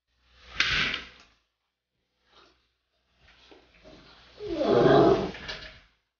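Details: Pit bull puppy at play with a friend's dog named Ice indoors: a short burst of noisy scuffling, then a low rumbling growl swelling and fading over about a second and a half, with faint knocks between.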